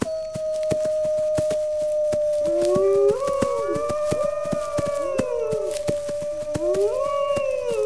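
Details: Wolves howling, a call said to rally pack members to gather defences against attack: a long steady tone held throughout while several voices rise and fall over it in overlapping howls, with a regular ticking click running underneath.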